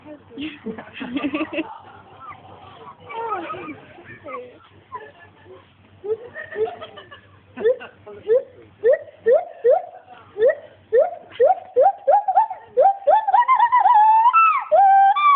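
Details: At Monkey World, Paul the male agile gibbon starts with scattered chattering and low noise, then builds into a fast train of rising whoops that grow louder and quicker, climaxing in long high sliding notes.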